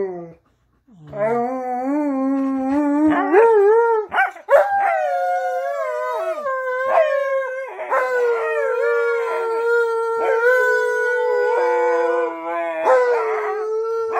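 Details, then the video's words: Pet dogs howling along while their owner sings "You Are My Sunshine" during a cuddle; long sustained howls that rise and hold with rich overtones, several voices overlapping, with a human singing voice audible at the start. "My Dogs Sing To Me | You Are My Sunshine"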